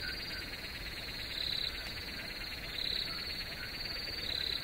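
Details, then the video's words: Dense cricket chorus with a continuous high buzzing trill, swelling into louder shrill chirps roughly every one and a half seconds. "Crickets Chirping"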